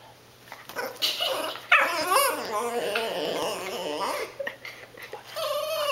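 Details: Female pet dog Cassie pleads for the food her people are eating, giving a long, quavering, undulating moan that bends up and down for about three seconds, followed by softer whimpers and someone speaking nearby.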